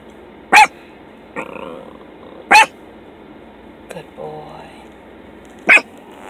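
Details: Fawn and tan Miniature Pinscher puppy guarding a vehicle during his second car ride: single sharp barks spaced two to three seconds apart, with soft whines and Spanish conversation between them.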